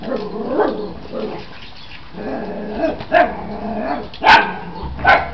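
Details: Australian Shepherd puppies playing together: low grumbling growls early on, then short sharp yaps and barks popping out at irregular intervals of about a second.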